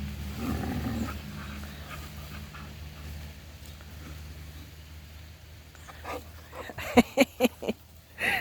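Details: West Siberian Laika named Vyuga at play: a low rough growl early on, then a quick series of four short sharp barks near the end and one more bark, over a steady low rumbling background hum.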